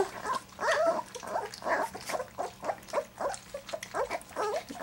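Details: Three-week-old black English Labrador Retriever puppies enjoying their first taste of goat's milk: a run of short squeaky whimpers and soft grunts, roughly two bursts each second, with wet lapping noises between them.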